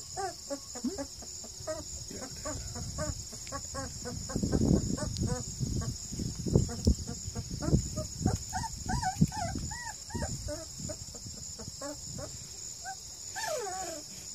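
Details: Purebred Redbone Coonhound pups, two and a half weeks old, at a kennel near Kingston, Ontario, Canada, give rapid squeaky yips and short arched little barks, several overlapping, amid thumping handling noises and a steady high electronic whine.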